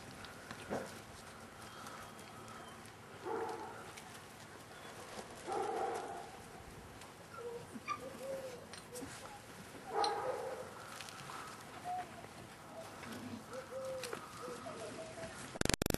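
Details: Litter of 38-day-old Staffordshire Bull Terrier puppies at the Staff Komas kennel, 20.09.2010: scattered short whines and thin arched squeals among soft rustling and shuffling, fainter and more spaced out, with a loud knock at the very end.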